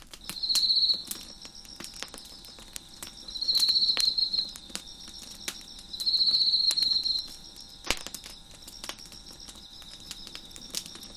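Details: Crickets chirp beside a crackling fire on a deck, loud high trilled bursts about a second long returning roughly every three seconds over a constant softer background trill, with scattered wood pops and one sharp crack.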